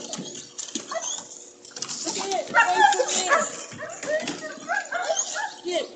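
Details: Pregnant German Shepherd vocalizing as if asking to go swimming: a run of whiny, yodelling warbles that rise and fall in pitch, delivered in irregular bursts with short gaps, loudest around the middle.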